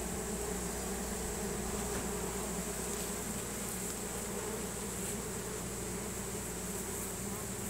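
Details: A honey bee swarm entering a new hive as the bees fan Nasonov pheromone in a chain reaction; continuous thick buzzing drone with layered low tones and steady high-pitched hiss throughout.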